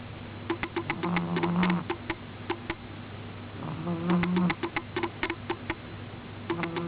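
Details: Miina, a pet cat sleeping soundly, snores in two low, droning breaths about three seconds apart, each rumbling for under a second, while sharp rapid clicks tick through the background.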